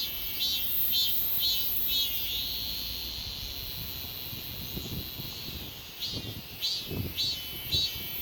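A cicada's high, pulsing buzz swells into a long steady drone, then breaks back into rhythmic pulses.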